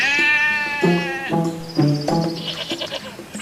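A goat gives a wavering, nasal bleat, then a few shorter, lower bleats in quick succession, with music playing underneath.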